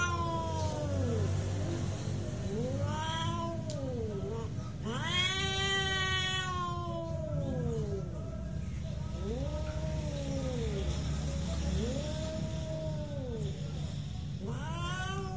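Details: Real cat fight, with arched, repeated howls every two to three seconds, rising then falling, plus a louder, harsher screech midway, over a continuous low droning background.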